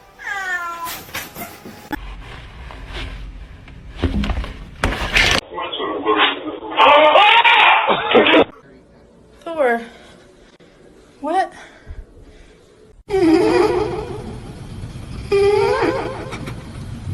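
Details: Pet cats in home scenes give repeated short arching meows, some quick and clipped, others longer and wavering. Frequent human chatter, bursts of music and a loud noisy passage run between the calls.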